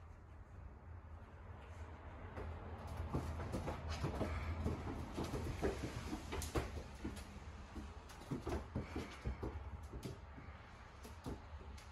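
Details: Irregular wooden knocks and clatters sound over a steady low rumble. No animal voice stands out.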